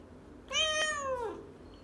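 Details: Mo, a female pet cat known as a talking cat, answers 'no' as a learned behaviour indoors with a single clear meow under a second long, harmonic and drawn out with a gently falling pitch, then a quiet room.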